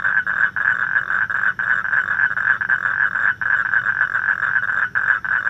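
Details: A mating toad gives a continuous rapid trill, a dense stream of fast pulses at a steady mid pitch. A few brief dips break the stream, over faint low background noise.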